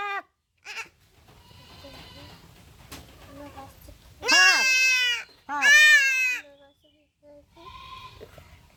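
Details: Goat kid bleating while being castrated: two loud, wavering, strongly harmonic bleats, each about a second long, come after quiet murmured speech and a few short fainter cries.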